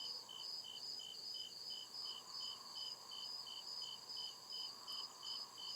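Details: Crickets chirping at night in deep woods: steady high pulsed chirps repeating about two to three times a second, layered with a fainter continuous high trill and a soft lower hum beneath.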